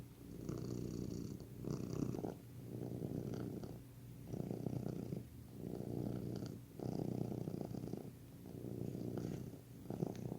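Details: Domestic cat purring, described as healing and relaxing: a steady low rumbling purr in rhythmic swells, each lasting about one to two seconds, rising and falling with the breath, indoors with no other clear sounds.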